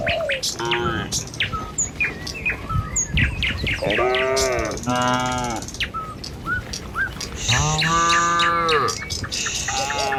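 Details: Herd of tame cattle driven by a herder along a village road one morning toward feeding fields; two drawn-out, deep, wavering moos stand out over busy chirping birds and rustling footsteps.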